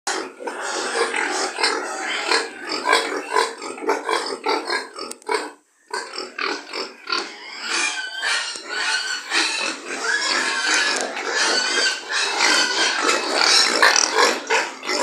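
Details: Pigs on a pig farm, a crowded chorus of harsh squeals and grunts overlapping almost without pause, with one short silent break partway through.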